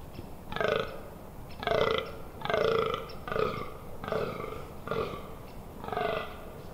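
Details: Fallow deer in the rut at the Amsterdamse Waterleiding Duinen on 18 October 2021: seven rough, croaking groans about one second apart, each a short grating burst.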